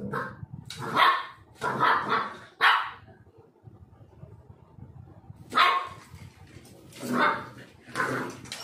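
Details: Black Labrador Retriever dog, born in Kerala, barking loudly in two bursts: three sharp barks, then a quiet gap of about three seconds, then four more barks, each short and punchy.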